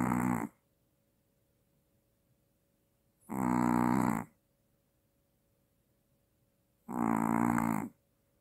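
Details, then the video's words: Maltese dog snoring heavily with apnea, three loud rasping grunting snores spaced about three and a half seconds apart, quiet between them. "아빠보다 더 크게 코고는 말티즈 /무호흡증/ 코골다 놀라서 깸"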